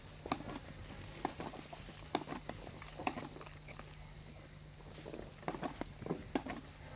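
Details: Male tiger eating a Chital deer kill in summer heat at Kanha National Park, Madhya Pradesh, central India; breathy bursts recur roughly every second alongside wet chewing clicks, over a steady low hum and faint insect noise.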